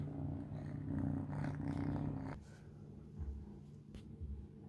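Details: Kitten, three months old, eating mealworms: a strong low purr for about two seconds, then it drops away, leaving soft rumbling and a few clicks.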